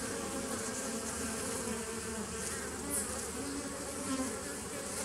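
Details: Honey bees from a 2017 nuc colony, recorded 27 September 2018: a dense, steady hive drone with a low hum and faint tonal bands. The buzzing stays even throughout, with a brief brighter flicker near the middle.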